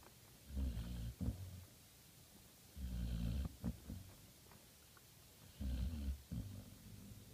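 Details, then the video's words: Sleeping puppy snoring indoors in Prescott, Arizona, November 2015: deep, low rumbling snores in two-part bursts, each inhale followed by a shorter snort, recurring roughly every two to three seconds in a quiet room. "Puppy Snores"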